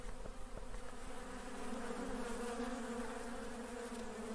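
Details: Honey bees at work make a dense buzzing hum, with a few soft ticks early and a brighter droning tone rising in the middle.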